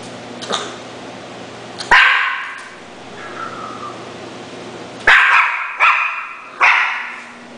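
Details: Schnauzer barking indoors: a faint yip first, then a loud sharp bark, a pause, and three quick bright barks in close succession near the end, over a steady low electrical hum.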